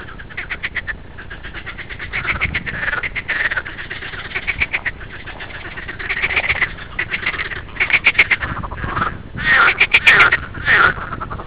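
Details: Water frogs, said to be green frogs, give loud rattling croaks of rapid pulses, rising and falling in bursts; water frog.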